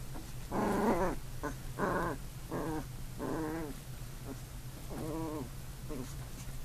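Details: Older puppy and newborn puppy scuffling together, giving a handful of separate growly whines and wavering yips, each under a second long, with short quiet gaps between them and a low steady hum underneath.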